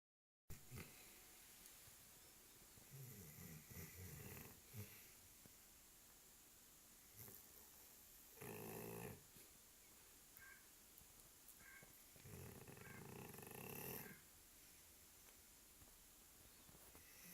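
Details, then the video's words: Sleeping Labrador Retriever snoring indoors: quiet, rough, breathy low snores in irregular bursts, the longest near the middle and end, with long hushed pauses between. "the Labrador snoring"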